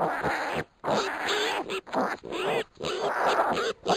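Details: One-week-old pot-bellied piglets wrestling and scrapping together, giving rapid, strained squeals and squeaky grunts in quick clusters, each burst broken by short pauses.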